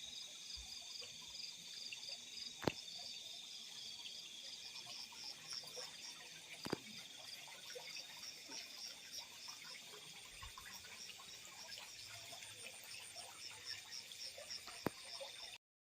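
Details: Night field crickets form a continuous high, finely pulsed trilling chorus, broken by a few sharp clicks and taps through the recording.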